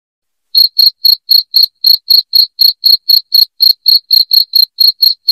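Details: After half a second of silence, a loud cricket starts chirping in rapid, regular pulses near four per second. The sound comes from a recording intended to drive away rats at home.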